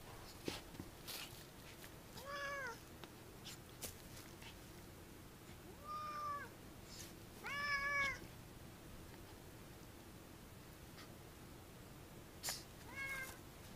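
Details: Cats playing indoors; four short, arched meows spaced a few seconds apart, each clear and slightly rising then falling, with soft thumps and rustling between them.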